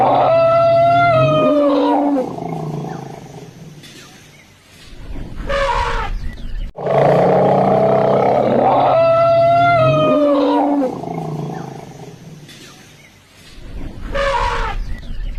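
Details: Elephant recorded in Hojai, Assam, giving a loud tonal roar that slides downward, then breaks into rough rumbling. The same call sequence is heard twice in a row, with brief noisy bursts between the calls.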